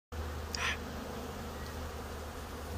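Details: Honeybees in Canada, a steady low droning hum running through the whole stretch, with a brief brighter rustling burst near the start over a constant background hiss.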